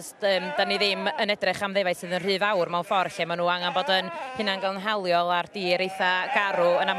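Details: Two-year-old Welsh Black Mountain sheep bleating almost without pause, several wavering, tremulous voices overlapping in a dense chorus across the whole stretch, with brief breaks between calls.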